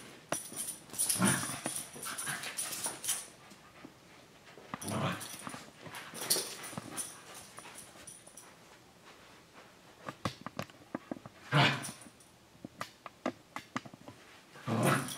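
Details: Two dogs, Senji and Chloe, full siblings from the same parents born six months apart, an older dog and a puppy playing indoors; rough scuffling bursts and throaty growls come in clusters with quieter gaps between.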